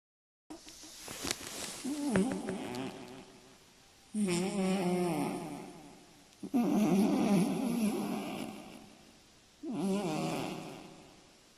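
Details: Scottish Fold cat snoring while asleep at night, a loud rasping snore in broad noisy bursts, four long breaths in about eleven seconds, the first rougher and more crackly.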